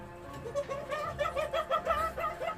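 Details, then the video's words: A female masked palm civet in heat gives a loud, shrill, cackling mating call of quick repeated notes at night, a sign she is ready to mate. "Tapi kalau musang bulan itu bener-bener dia suaranya nyaring, lantang, dan nyeremin ya, kalau buat yang nggak terbiasa terutama."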